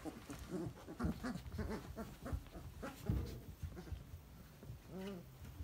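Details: Three-week-old Basset Hound puppies in a whelping box, giving low grunting whimpers amid rustling and shuffling, ending in one clear rising-and-falling whine.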